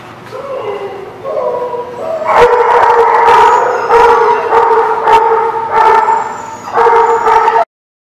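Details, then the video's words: Dog at The Barking Lot, 21 July 2017, starting with soft rising whimpers, then breaking into a long run of loud, harmonic yips and howl-like cries repeated roughly every half second until an abrupt stop. "The Barking Lot"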